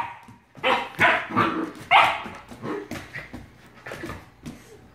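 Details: Australian Shepherd puppy under attack from a bottle brush, barking in loud, harsh bursts about once a second, then trailing off into softer yips and whimpers.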